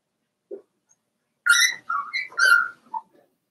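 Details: Four-week-old Cavalier King Charles Spaniel puppies from Daisy's litter in an indoor puppy pen: one short low squeak, then a run of high, thin whining yelps that rise and fall, each under half a second, in an otherwise quiet room.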